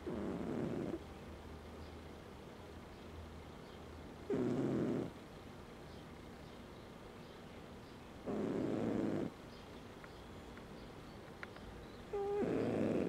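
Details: A domestic cat snoring while asleep: low, rasping breaths in four even bursts, one roughly every four seconds, each lasting about a second, with quiet pauses between in a still room.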